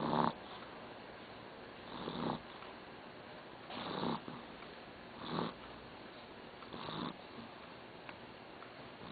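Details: Sleeping dog snoring indoors: soft, breathy snore bursts about every one and a half seconds, each short and rasping, with quiet pauses between and no other sounds.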